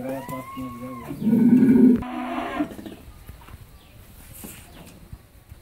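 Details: Pregnant Holstein Friesian cow, nine months in calf and due for her second calving, on a dairy farm in Pabna, Bangladesh; one low, loud, drawn-out moo of under a second follows a man's speech, with quiet farm background.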